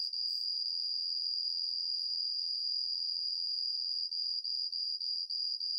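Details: Homoeoxipha obliterata cricket changing tempo mid-song: a long unbroken, high ringing trill for about four seconds, then it switches to quick, evenly spaced chirping pulses until the end.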